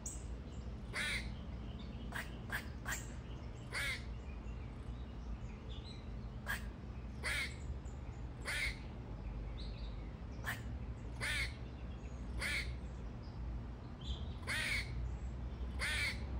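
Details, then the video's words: A squirrel described as singing repeats brief, scratchy, barking chirps, sometimes in quick pairs, roughly every second or two over a steady low-pitched rumble of background noise. "squirrel loves to sing"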